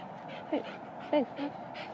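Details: Pet dog, one of two named Finlay and Murphy enjoying the sun, gives short rising-falling whines, two clear ones about half a second apart then a softer third, over faint background hiss.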